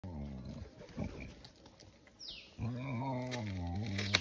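A wild boar utters a run of low, rough grunts in quick succession. These give way to a sustained, nasal moaning call that wavers slightly in pitch before ending.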